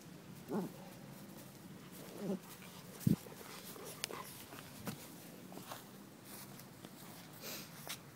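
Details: Puppies at play indoors: short, low whimpering yelps around half a second, two and three seconds in, then quieter snuffling bursts over a steady background hiss, with soft thumps of movement.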